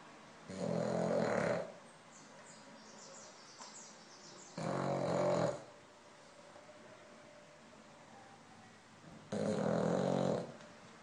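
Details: French Bulldog named Lolla, asleep, snoring in three broad, rough bursts about four seconds apart, each lasting about a second, with quiet breathing between them.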